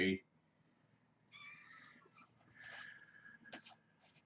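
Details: Hungry kittens of Janine, a stray mother from the Tulalip, WA area, at Purrfect Pals, in rambunctious morning play before breakfast; two thin, high, drawn-out meows follow a sharp thump, over a low room hum and faint voices.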